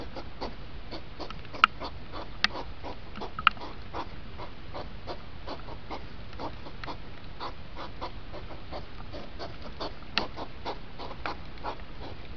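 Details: Hedgehog during the rut, recording speeded up from two hours into five minutes; rapid series of short, breathy, broadband huffing snorts, several per second, steady and fairly even, with a few sharp clicks over faint background hiss.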